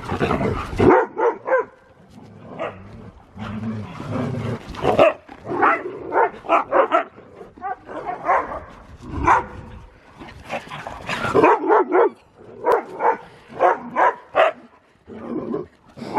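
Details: Huskies wrestling for fun though it looks like a fight: a busy stream of sharp barks, yips and growled whines, coming in quick clusters throughout.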